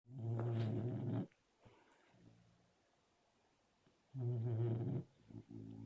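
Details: Sleeping Labrador Retriever snoring: two long, low, rasping harmonic snores roughly three seconds apart, with near silence between breaths.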